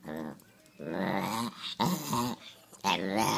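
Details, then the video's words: Rescue Chihuahua 'talking' indoors: drawn-out, growly, moaning vocalizations with rising and falling pitch, broken into several word-like phrases of about half a second to a second. "the Talking Rescue Chihuahua"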